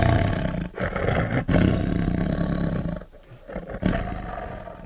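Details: Tiger producing a deep, throaty roar that rumbles on for about three seconds, then softer growling breaths.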